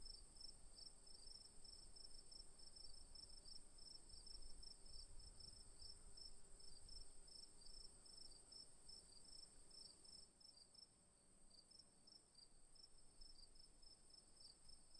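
A cricket sings a steady, high, shimmering trill made of rapid pulsed chirps.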